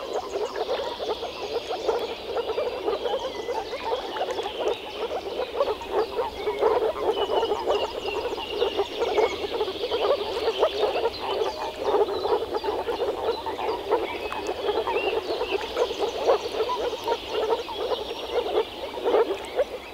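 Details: Chorus of European frogs at a pond in the Czech Republic in spring: dense overlapping croaks pulsing continuously, with faint bird chirps above.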